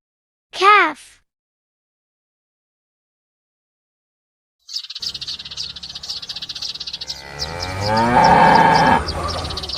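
A calf lets out a brief, high-pitched bleating moo that drops in pitch, followed by a pause. A second, longer and rougher moo then swells amid scratchy, chirping background noise.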